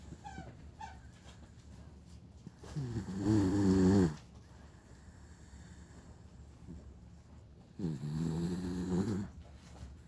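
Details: Sleeping dog snoring loudly indoors: two long, rough, low inhaled snores, each about one and a half seconds, roughly five seconds apart, with quiet breathing between.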